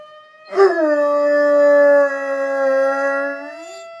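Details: Four-month-old dog Ralph howls at a fire alarm: one drawn-out, slightly wavering howl of about three seconds that rises at the end, set against the alarm's continuous high-pitched tone.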